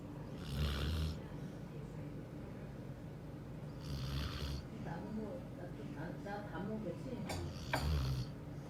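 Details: Border Collie asleep and snoring: three rasping, breathy snores arrive about every three and a half seconds over a steady low hum, with quieter breathing between them.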